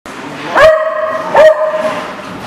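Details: A dog recorded on 10 September 2018 gives two loud, clear barks about a second apart, each sharp and slightly rising, with a background murmur of other faint barking and noise.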